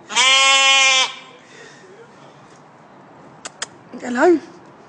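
A goat bleats loudly in a steady, buzzy, nasal tone for about a second. After a quiet gap with two sharp clicks, a second bleat follows, quavering up and down, with a person speaking faintly nearby.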